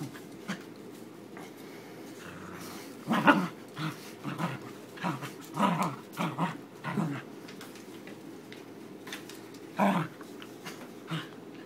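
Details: Playing tug-of-war with a new rope bone, Frankie the fluffy Corgi lets out gruff, throaty growl bursts in a clustered run, then a pause and one more strong growl, indoors with faint speech in the background.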